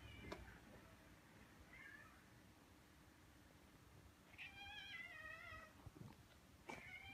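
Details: Stray orange tabby cat, one of two in a residential neighbourhood, greeting a person with welcoming meows: a short quiet mew, then a longer wavering meow after a pause and a brief final call, over a soft background hiss.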